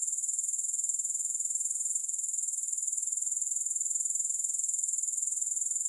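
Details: Grasshoppers stridulating without music: a steady, very high-pitched shimmering trill made of rapid, evenly pulsed chirps that never stops, with no other creatures, voices or background noise.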